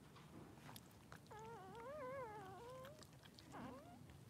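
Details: Newborn Blenheim Cavalier King Charles Spaniel puppies, three days old, in a puppy pen with their mother: one clear wavering, squealing whine lasting about a second and a half, then a short rising squeak, over soft background rustle.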